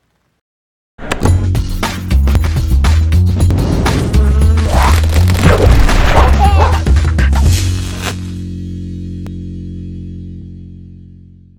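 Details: Loud music with booming, crashing hits and bursts, ending in a sustained low tone that slowly fades; no animal voice is heard.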